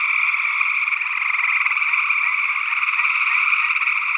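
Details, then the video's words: Gray tree frogs in Northwest Wisconsin in early June 2022 call in a steady, dense chorus of overlapping musical trills, possibly with a second, unidentified species, perhaps a spring peeper. "Gray Tree Frog Calls - SE Electronics sE8 ORTF"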